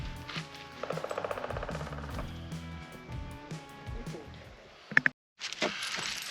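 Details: Music plays throughout with a few sharp clinks and a brief gap of silence, and no animal voice can be heard.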